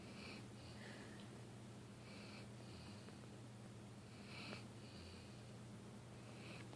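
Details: Sleeping dog named Dilly snores with faint hissing, wheezy exhalations about every two seconds, set against a constant low droning hum indoors.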